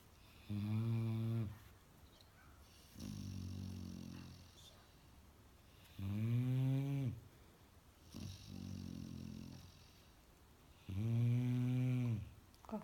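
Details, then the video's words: Sleeping Labrador Retriever puppy snoring loudly, said to snore like a man: five deep, rasping snores in about thirteen seconds, alternating tonal, harmonic-rich breaths with rougher noisy ones, each lasting one to one and a half seconds, in a quiet room. "Щенок лабрадор Белла храпит как мужик!))"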